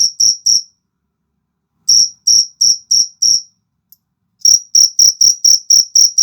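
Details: Fighting cricket chirping in short bursts of sharp, high pulses, with a long pause after the first three chirps and a faster, denser run toward the end; no other sounds.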